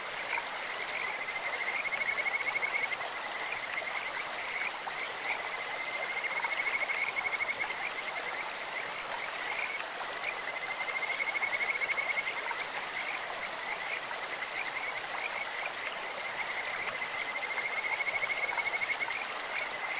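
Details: Kajika frogs in a clear stream sing in high, whistled trills that come in waves about every five seconds, each swelling then ebbing, above a constant wash of running water.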